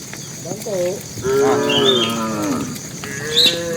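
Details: Tame cattle heading to their pen, a bull calling the cows: several overlapping lowing calls, some rising and falling, over a continuous background of insect trilling and brief high chirps.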